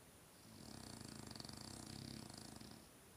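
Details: Sleeping French bulldog snoring softly indoors: one drawn-out, fluttering raspy breath that swells and fades over about two seconds, quiet and close.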